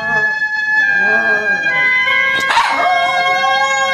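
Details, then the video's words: Pet poodles singing like a wolf indoors: long sustained howled tones holding steady pitches, with a lower wavering glide early on and a brief rough burst midway, layered voices continuing throughout. "Poodle dog Sing as a Wolf"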